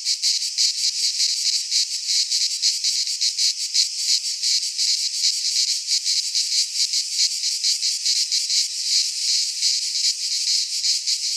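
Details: Cicadas singing in midsummer in a Greek pine forest; a dense, high, hissing buzz pulses steadily with rapid rhythmic beats, a continuous chorus with no other sounds.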